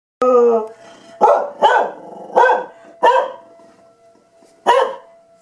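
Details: Tucker, a dog, barking at siren testing: a brief tonal whine opens, then five loud, harsh barks come in uneven bursts about half a second to a second apart, with quiet pauses between.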